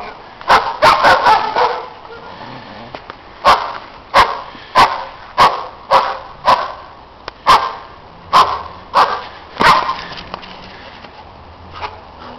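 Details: Loud neighbours' dogs barking in the snow: a rapid opening flurry of barks, then a steady series of single sharp barks roughly every half to one second, fading near the end.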